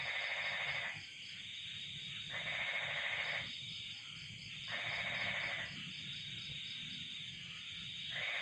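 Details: Cold-night chorus of crickets and frogs: a steady high cricket trill under loud, rasping frog bursts.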